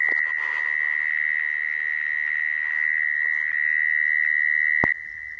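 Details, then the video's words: Mole cricket song used to lure crickets for trapping: a steady, unbroken buzzing trill at one high pitch, with a sharp click near the end after which the trill continues slightly softer. "Tiếng dế dũi dùng để bẫy"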